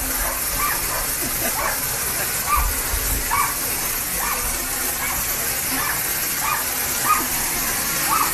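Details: A Japanese Spitz tries to break through a window at a garden hose. It gives repeated short, bright yips and barks at an uneven pace, nearly buried under a continuous roar of hose spray and a few low thumps.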